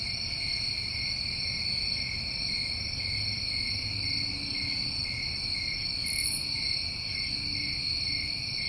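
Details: New England summer cricket chorus: dense, continuous high-pitched trilling that never pauses, several layered tones, one short sharper chirp late in the clip, and faint low rumble beneath.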